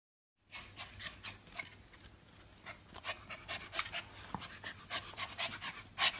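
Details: Hyper, playful Japanese Spitz puppy panting indoors: quick breathy, hissing bursts that grow louder and more irregular toward the end, with faint rustling between breaths.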